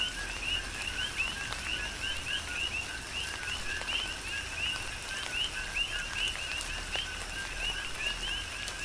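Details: Coqui frogs chorusing during a tropical rain shower on the Big Island, Hawaii: many overlapping two-part chirps, a lower note then a higher upswept note, repeated steadily, over constant rain patter and scattered drip clicks.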